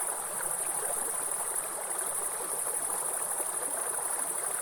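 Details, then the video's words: Continuous shrill buzzing of grasshoppers in woodland, a high, even drone without breaks, set against the loud, churning noise of a nearby waterfall. "Real forest and grasshopper sound with soothing waterfall sound"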